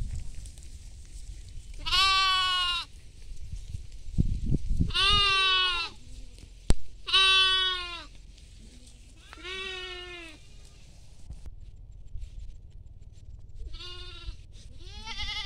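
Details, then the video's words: Goats grazing in a field with sheep: loud, nasal, trembling bleats come about every two to three seconds, with a brief thump and low rustling between calls. "goat sounds"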